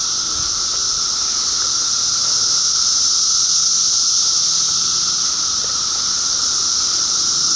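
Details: Steady roaring buzz of many cicadas, 2013: a shrill, hissing wall of sound at constant loudness, layered over a faint lower hum, with no gaps or rhythm changes.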